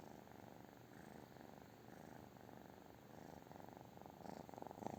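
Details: Steady low purring from a British Shorthair cat, an even rapid throb that grows slightly louder near the end, in a quiet room.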